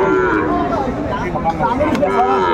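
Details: Cattle lowing at a livestock market on 16 April 2024, where young Sahiwal bulls are bought for resale. Drawn-out harmonic moos waver and overlap, set against steady crowd chatter and nearby voices.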